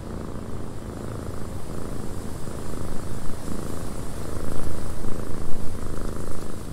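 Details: Cat purring in a wind-buffeted cabin; the low, throaty purr starts quietly, then grows louder with rhythmic swells of breathing in the second half, set against a steady wind hiss.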